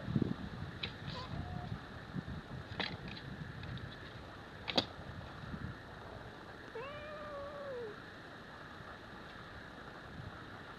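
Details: Scottish fold kitten and Singapura cat fighting: after scattered knocks and clicks, a single drawn-out arching yowl rises and falls near the end over a steady background hiss.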